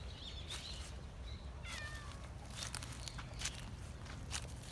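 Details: Stray cat in a park calling out to the person following it, giving a few faint, high, drawn-out meows early on, then a falling meow, over steady low rumble and scattered sharp clicks.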